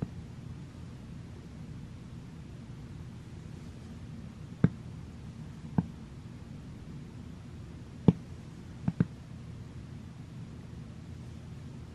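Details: Low room hum with a handful of sharp isolated clicks or taps; no animal voice.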